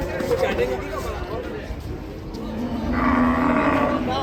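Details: Sacrificial cattle being unloaded from a truck in Indonesia; a low moo near the start, then a louder, drawn-out bellowing moo rising in the last second and a half, with engine noise and a man's voice.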